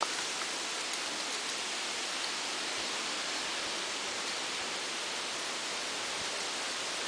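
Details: Steady rushing hiss, like wind or water, fills the whole stretch without any distinct voices or calls.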